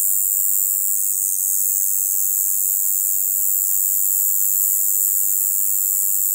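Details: A conehead katydid, one of the katydids commonly heard in the lowland plains of western Japan, sings a continuous, high, hissing buzz that never pauses, with a faint low hum beneath.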